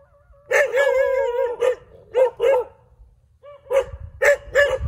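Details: Several dogs barking in the middle of a street: a long, drawn-out tonal bark lasting about a second opens, followed by shorter barks in pairs and threes with short silent gaps between them.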